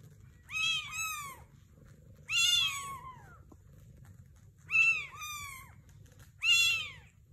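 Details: Sphynx mother cat with a sphynx kitten and British kittens: four loud high meows at irregular intervals, each a bright harmonic-rich call arching down, some with a short second note, over a low steady indoor hum.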